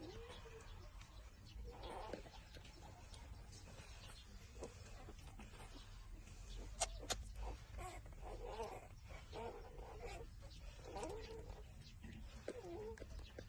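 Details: Newborn puppies, six days old, nursing together: quiet, wavering whines and small squeaks come in loose clusters every second or two, thin and nasal, set against a dull low background hum.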